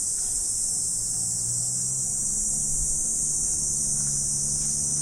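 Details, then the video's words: Insects calling together on an autumn morning, their continuous high-pitched trilling wash held constant throughout, over a faint low steady hum. "Morning Insect Sound Effect"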